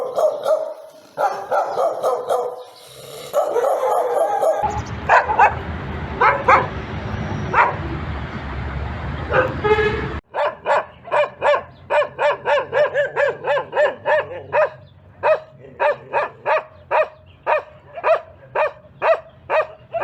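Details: Dogs barking in a compilation of reaction sounds: a few harmonic barks, then a noisy stretch with scattered barks, then rapid, evenly spaced barks repeated about twice a second to the end.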